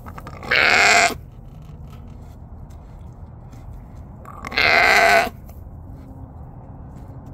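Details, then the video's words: Dorper sheep on a farm at lambing time in December 2022, a ewe giving birth; two loud, harsh bleats about four seconds apart, each lasting under a second, with quiet farm background between. "Dorper sheep Lambing Time"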